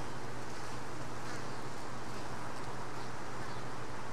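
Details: Honey bees around a hive box, one worker having brought in a mite. An unbroken, even low buzzing drone with a steady pitched hum line and a grainy wash of noise over it, no pauses.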